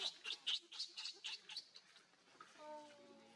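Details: Hungry baby monkey named Leo crying to beg its mother for milk: a rapid series of shrill, high squealing cries, about four per second, fading after two seconds into quieter calls, with a faint steady hum at the end.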